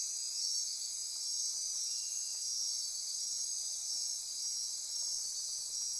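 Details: Midnight rainforest insects on Costa Rica's Osa Peninsula near Corcovado, a continuous shrill layered buzz and pulsing trill holding steady throughout, with a faint low background hiss.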